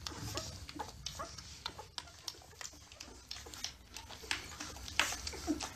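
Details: Several newborn Labrador Retriever puppies while nursing give brief squeaky whimpers at irregular intervals, mixed with soft smacking suckling sounds and faint rustling.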